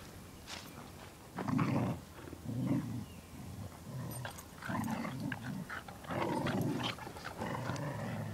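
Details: Puppy playing with a dog, with low rumbling growls in repeated bursts of about a second each, and a few sharper higher yips and scuffling noises between them.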